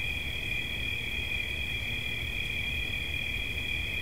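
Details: Short stretch of sustained high-pitched cricket trilling, two steady tones held evenly throughout, with a low rumble beneath.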